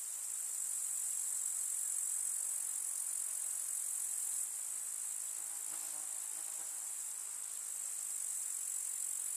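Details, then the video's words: Steady high-pitched chirring of grasshoppers in a rural summer meadow among field flowers, an even sizzling drone with a slight fall in loudness after four seconds and a faint low rustling sound near six seconds. "КУЗНЕЧИКИ. Слушать звуки летнего луга"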